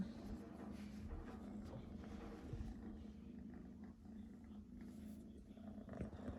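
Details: Pet cat purring close up, a steady low rumbling drone with a layered buzz that holds without a break, with soft room noise.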